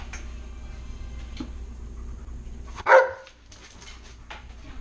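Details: Tonka, a pet Alaskan Malamute, asks for a share of french toast indoors: a single short, harmonic woof-like vocalization near the middle, rising then falling quickly, over a steady low room hum with faint music.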